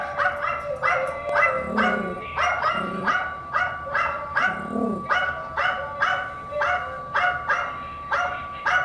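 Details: Yorkshire Terrier bitch, filmed in 2017, barks back at playback of herself: a run of about fourteen high, clipped barks, roughly one every half second, with a few lower, rougher grumbles between them.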